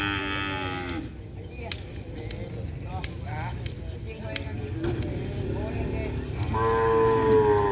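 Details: Young cattle brought for its first day on the track, joining group training: a harmonic moo opens and another closes the stretch, with music, clapping-like clicks and crowd noise throughout.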